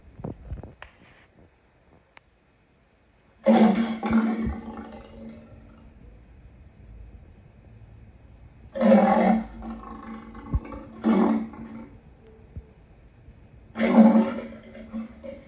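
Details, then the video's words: Lion giving three short, harsh roaring bursts, each under a second, spaced about five seconds apart, with a strong low band and quiet pauses between. "Lion sounds"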